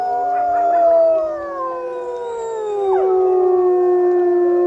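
Several wolves howl together in long, smooth, overlapping tones that slowly slide downward.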